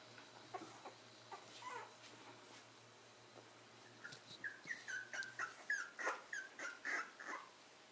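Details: Corgi puppies whimpering: faint, scattered high cries early on, then from midway a run of short, high-pitched, bending yelps at roughly two per second, growing louder toward the end over a low steady hum.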